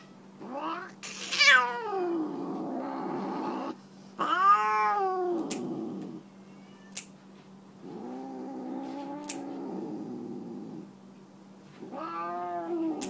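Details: Tammy, a Siamese tabby cat, protests while getting her nails clipped indoors: long wailing yowls with rising and falling harmonics, several drawn-out cries separated by pauses, with faint clicks of the clippers between them.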